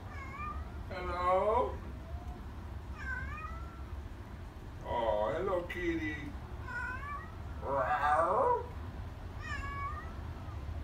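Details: A talkative female Siamese cat meowing indoors, sometimes heard as saying "hello": a string of about eight varied meows, some long and wavering, others short upturned chirps, with louder bursts near two, five and eight seconds over low hum.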